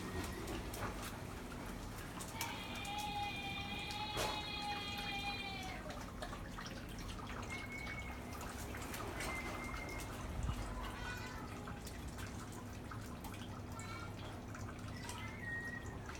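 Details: Weird whimpering from Mako, a dog, as neighbours make noises. A long, thin whine holds for about three seconds and slowly sags in pitch. Brief, higher squeaks follow several seconds later over a low, constant hum.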